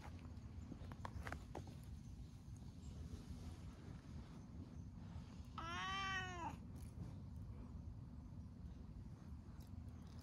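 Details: Outdoor cats basking in the sun together in Japan, among them a friendly orange tabby; one arched, rising-then-falling meow near the middle, with low traffic-like rumble and scattered faint clicks around it.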